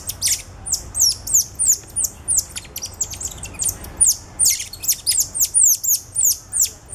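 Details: Cotton-top tamarins at a zoo in November 2013, a father carrying two ten-day-old babies on his back, recorded with a Canon SX50. Very high, thin, downward-sweeping chirps come in quick overlapping bursts, roughly three per second.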